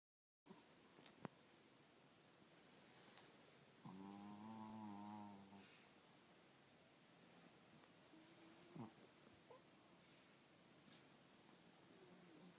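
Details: Kyo, a big, middle-aged male Chihuahua, fast asleep: one long, droning, harmonic snore lasting over a second, later a short snort, with quiet room hiss between.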